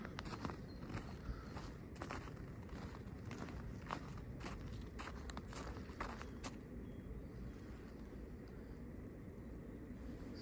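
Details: Outdoor footsteps and rustling crunches over a low rumbling background, with a thin steady high-pitched whine and no audible animal calls.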